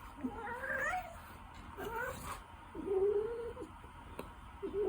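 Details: Ragdoll cat giving a string of short, quavering meows, some wavering upward, one held flat and low, over faint background hiss.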